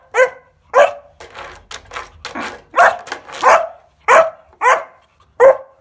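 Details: Fourteen-week-old Kuvasz puppy Bowie, playing with scales indoors, lets out harmonic, slightly whiny barks mixed with short yips and snuffling breaths, spaced irregularly over a few seconds.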